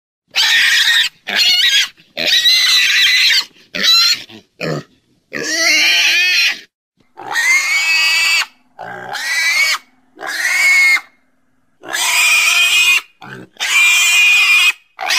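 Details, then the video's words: Pig squealing and grunting in a rapid, restless series of harsh bursts, some short and choppy, others stretched into shrill wavering squeals, over about fifteen seconds. "Domuz sesi🐷Pig's voice🐖Schweinsstimme🐷Donuz səsi🐖豬的聲音🐷la voix du cochon"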